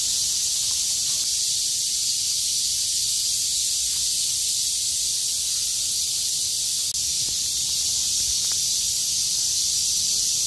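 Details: After the rain stops on 6 August 2020, a chorus of cicadas that lived through the storm calls at full volume; an intense, even, high-pitched buzzing wall of sound continues throughout with a few faint clicks.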